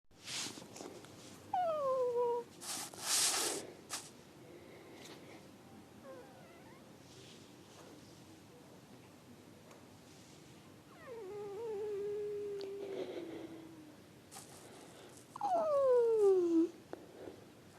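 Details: Cat making soft, cute sounds indoors: several descending meows spread across the recording, including a short early one, a longer drawn-out falling meow midway, and a louder sliding meow near the end, with some rustling and handling noise.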